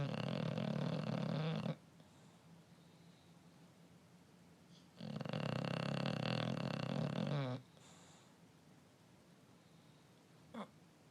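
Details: An English Bulldog sleeps with his tongue sticking out and snores heavily. Each drawn-out breath is a deep, buzzing rattle of two to three seconds, followed by a quiet pause of several seconds, with a faint snuffle near the end.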